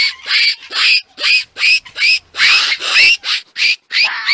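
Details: Fox barking in the mating season, calling out to others: a fast, steady run of sharp, high yelping barks, about two and a half per second, each with a brief rising whine, in a quiet setting.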